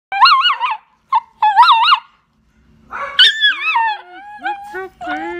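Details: Riley, a Whippet/Labrador mix service dog, howling to alert his owner to unfamiliar people at the door. High, wavering, yodel-like howls in short bursts, then a lower sustained voice tone follows.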